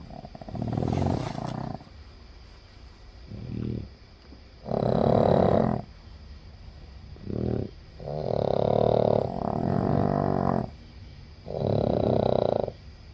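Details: Snoring from a group of seven sleeping Boston Terriers: rough, rasping breaths in bursts of one to two seconds, several overlapping, separated by quieter pauses, with an irregular rhythm.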